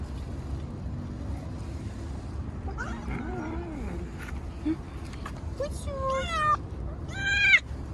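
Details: Stray cat on the street, being fed and petted, lets out two loud, insistent meows close together near the end, strongly harmonic and wavering, after quiet human speech and handling noises earlier on.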